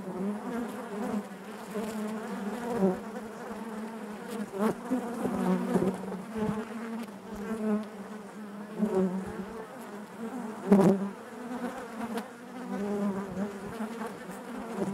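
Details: Inside a beehive, honey bees keep up a thick, even buzzing drone, its low hum rising and falling gently, punctuated by a few crisp knocks near the middle.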